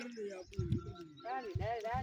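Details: Village goats on a morning sand dune climb in rural Pakistan after a night of rain, exploring and socializing; a wavering, quavering bleat rises and falls in the second half over thudding steps and a lower, steadier voice-like tone.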